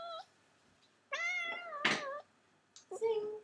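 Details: Domestic cat, described as greedy, meowing to beg for more food indoors; drawn-out tonal meows with rich harmonics, a longer wavering one near the middle, then a short rising meow at the end.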